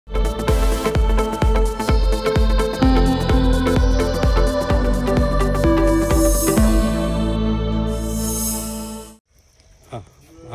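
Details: Electronic dance music with a steady beat and some speech, ending in quiet background noise; no animal sound heard.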